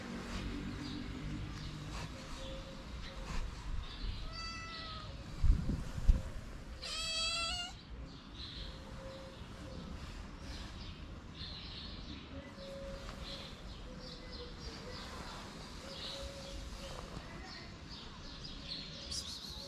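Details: Six hungry cats at a small shelter for abandoned kittens in Morocco crowd around as food is served; two short bright meows near four and seven seconds, with rustling, clattering handling noise and a low background hum.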